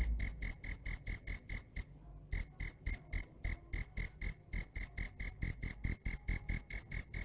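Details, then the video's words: Cricket calling with rapid shrill pulses repeated evenly, broken by one brief pause before the pulsing resumes. "TIẾNG DẾ KÊU"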